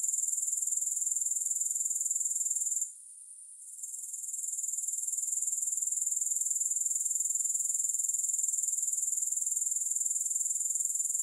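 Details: Grasshoppers trilling continuously at a very high pitch in rapid regular pulses. The sound drops out for about a second near the three-second mark, then swells back to full strength.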